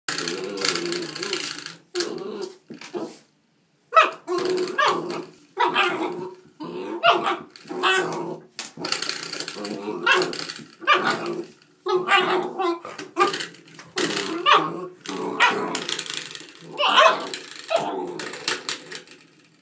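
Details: Nine-week-old German Shorthaired Pointer puppy playing with a doorstop, giving short growls and yappy barks in rapid uneven bursts, with human voices mixed in between.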